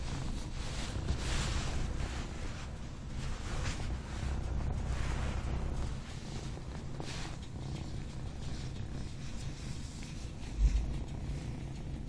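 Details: Sleeping pet cat named Azreal snoring indoors: low, rumbling breaths in slow, steady rounds, softer after midway, with a brief thump near the end and a faint background hum.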